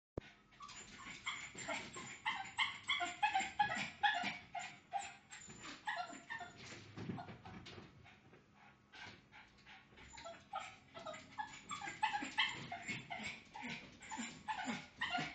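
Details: Bijou, a pet dog, barks while trying to escape to see the neighbour: rapid, dense volleys of sharp barks with a brief lull midway, then renewed bursts, in a small indoor room.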